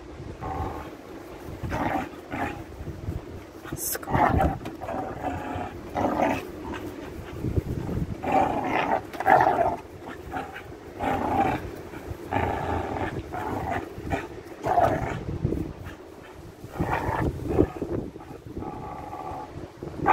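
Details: A young male pit bull pup growls in low, rumbling bursts that rise and fall as he plays tug on a leather glove.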